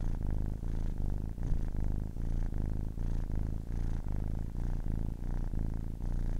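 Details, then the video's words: Ten-week-old kitten purring, close and intimate: continuous low rumble pulsing with its breathing, swelling and easing about twice per second, no other sounds. "10 weeks old kitten purring"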